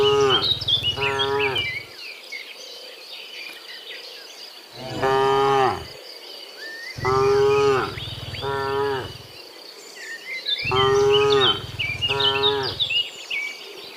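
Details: Dozens of cows moo in the afternoon on the way from the fields to the pen; repeated harmonic moos come in pairs and overlapping bursts through the recording, with a steady insect drone and bird chirps in the background.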